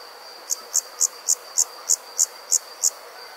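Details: Nighttime summer insects in a rural setting: a run of nine clear, high chirps evenly spaced about three per second over a faint steady high-pitched background buzz.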